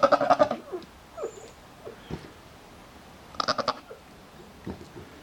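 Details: During breeding time, Nigerian Dwarf goats with a doe in standing heat give a loud, fluttering bleat at the start, then a shorter trembling bleat midway, and faint low grunts in between.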